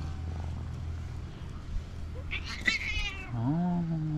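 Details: Loud, jealous female calico cat that keeps other cats from approaching her owner gives a high, strained wailing meow with rich overtones, followed by a lower, drawn-out falling cry, over a steady low droning hum and a person pleading nearby.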